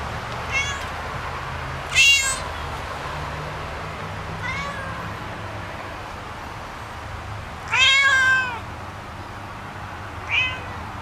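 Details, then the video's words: Domestic cats playing and fighting give five meows spread over eleven seconds. Short harmonic cries alternate with louder, longer ones that rise and fall, over steady low background hum. "Beautiful cats are playing and making sounds"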